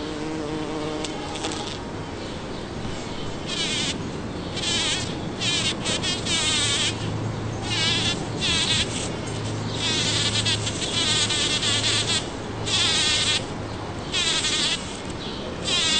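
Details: A bumblebee works a Champlain rose bush in a Toronto, Ontario back yard on June 5, 2010; its loud, low droning buzz swells and fades as it moves close and away.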